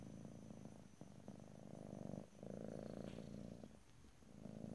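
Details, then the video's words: Soft, low vibrating purr of a cat recorded in stereo ear to ear, rhythmic rumbling swells tied to breathing, with one short lull before the purr carries on. "ASMR Cat: Purring"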